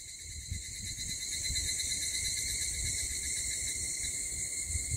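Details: Cicadas calling lively in the early morning at 04:50 on 6 August in Mihama, Fukui Prefecture, Japan; a faint, steady high-pitched buzzing drone continues without pause over low background rumble.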